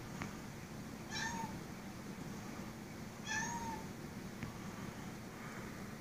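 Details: Astro Boy, a two-year-old Siamese cat, talks to a spider on the ceiling indoors: two brief chirping meows, each bending up then down, about two seconds apart, over a steady low room hum.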